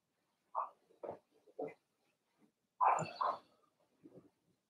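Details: Young Blenheim Cavalier King Charles Spaniels, part of a litter of six in an indoor puppy pen, making a ragged run of small yips and barks, with one louder, longer double bark near the middle before quieter grumbles.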